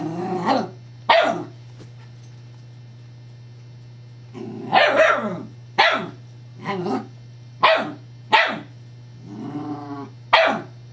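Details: Evangeline, a Scottish Terrier, reacting to the rolling disc of her teething pacifier toy: a run of abrupt barks mixed with longer harmonic growling grumbles, roughly one sound per second after a quiet gap, over a constant low hum.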